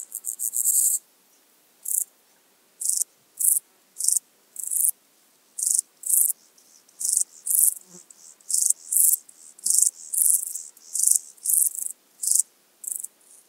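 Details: Euchorthippus declivus, the common straw grasshopper, recorded in Illmitz, Austria, 13 July 2020: a longer opening rasp, then a steady series of brief, high, dry buzzy chirps repeated roughly every 0.6 seconds.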